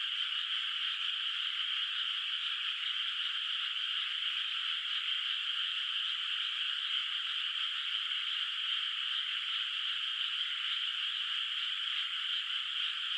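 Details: Frogs calling at night from a moonlit countryside rice field whose water has no rice planted yet, heard from a distance: a dense, unbroken chorus of high trilling croaks that holds steady throughout, with no other sounds.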